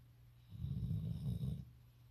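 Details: A sleeping Golden Retriever snores, a low rumbling rasp lasting just over a second.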